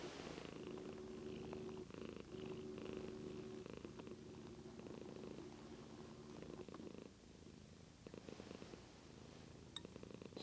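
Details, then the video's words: Sleepy pet cat purring steadily, recorded on a Lumix GH2 camera: a low, even rumble in smooth pulses of a second or two, broken by short pauses for breath, with faint handling noise near the end. "Cat Daisy Purring"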